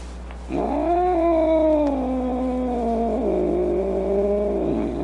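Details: Angry domestic cat giving a long, drawn-out moaning yowl that starts abruptly and holds a steady, slightly wavering pitch for about four seconds before dropping away; no other sounds.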